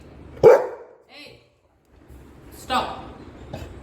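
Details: Golden Retriever giving two loud barks more than two seconds apart, the second more drawn out, with short voice sounds and low rumbling in between.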